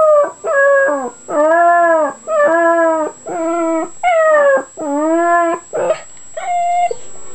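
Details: Pet puppy making weird noises: a run of drawn-out, tonal howling whimpers, each about half a second to a second long, arched and slightly wavering, repeated about once a second with short gaps, plus a steady faint high whine in the background.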